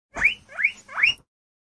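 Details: Guinea pig giving three short rising squeals in quick succession, each a high, sliding whistle-like wheek about a third of a second long, spaced roughly every 0.4 seconds, against an otherwise quiet, clean background.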